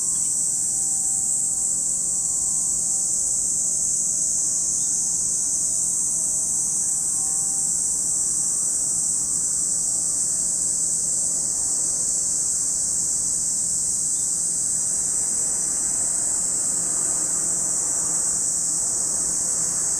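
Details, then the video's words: Cicadas at Lake Kamo in Sado City, Niigata Prefecture, Japan: a steady, unbroken high-pitched hiss from many insects holds throughout, with faint lower tones and soft background rumble beneath. "where you can hear the voice of cicadas"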